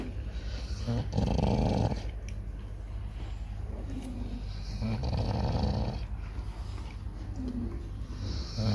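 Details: Sleeping Chow Chow snoring: deep rumbling breaths in slow cycles, louder swells around the first and fifth seconds, with steady low background hum.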